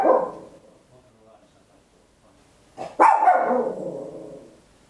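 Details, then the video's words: Small Papillon dog barking loudly at home, recorded in stereo on an Olympus LS-11: a sharp bark at the start, a quiet gap, then a second loud bark at three seconds trailing off into a fading tail. "Tiny Dog Barking Very Loud, Papillon"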